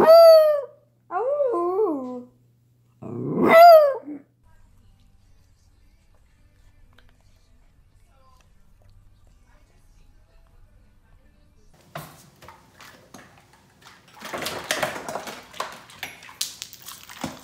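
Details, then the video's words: Poodle howling in a funny dog compilation: three drawn-out, wavering howls, the last one rising sharply, then near silence and later scattered rustling and noise. "Perfect Poodles | Funny Dog Compilation"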